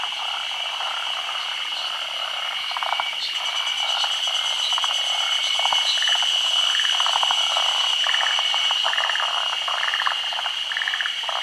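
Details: Chorus of forest green tree frogs, endemic to Honshu and Sado Island, spawning at midday in the rainy season above still water. Bursts of pulsed, rattling croaks build in density, backed by a constant high whine.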